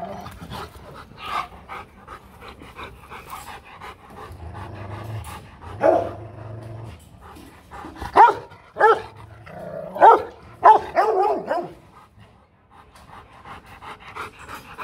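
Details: Hostile Rottweiler threatening a rival dog: low, scattered barks and breathy sounds at first, then a loud cluster of sharp barks midway before fading to softer noise.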